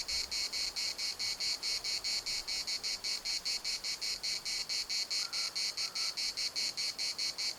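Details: Chorus of cicadas at Larnaca municipal park, Cyprus: loud, high, rasping pulses repeated steadily a little over twice per second, with two faint short bird notes near the end.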